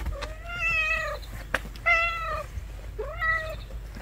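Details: Stray cat whose food has been taken, meowing three times in drawn-out, slightly wavering harmonic cries, each about half a second to a second long, with a sharp click between the first two and low background rumble.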